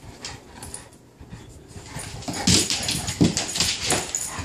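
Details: A bullmastiff and a newly arrived Dogue de Bordeaux at play: quiet scuffling at first, then louder rough bursts of growling and snorting with broadband thuds from about halfway through.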